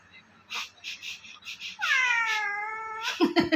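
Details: A playful pet cat giving a weird, long, wavering cry that levels off and holds for over a second. Soft human voices and laughter-like sounds come before it, and a burst of noise follows at the end.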